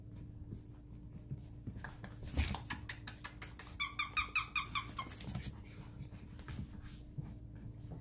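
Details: Lhasa Apso puppies indoors, playing back and forth; a run of high, squeaky yips and whines, about two to three per second, loudest midway, over a steady low hum and rustling movement.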